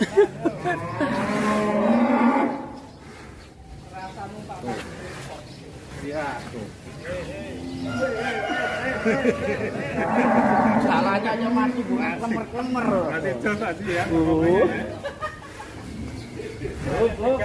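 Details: Cattle at a large livestock farm in Indonesia: deep, drawn-out moos with wavering harmonic tones, rising and falling in long stretches, alongside people's voices and background music.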